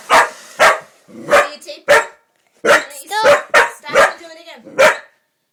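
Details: Female Pitbull-Corgi mix dog reacting to a hair dryer being used: a string of short, sharp barks at uneven intervals about half a second apart, with people talking in the room.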